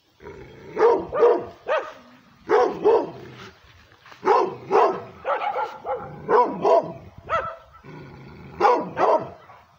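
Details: Angry-sounding barks from a female pit bull and Redbone Coonhound mix reacting aggressively to a camera: rough, forceful barks fired in clustered runs of two to five, with brief pauses between volleys.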